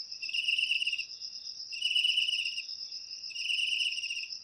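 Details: Cricket song, used to drive away household rats: three rasping pulsed bursts of about a second each, spaced about 1.6 seconds apart, layered over a loud steady high-pitched trill.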